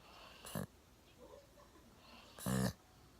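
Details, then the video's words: Sound asleep on a sofa, chin propped on a table, one-year-old Golden Retriever Milo gives two rasping snores about two seconds apart, the second longer and louder, in a quiet room. "ゴールデンレトリバー いびきをかいて大爆睡"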